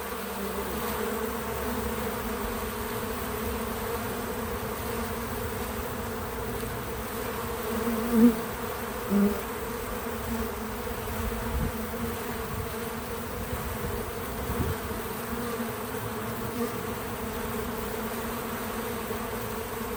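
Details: Bees busy at a feeder keep up a soft, steady buzzing hum. Two nearby bees buzz louder briefly around 8 and 9 seconds, then the even drone carries on.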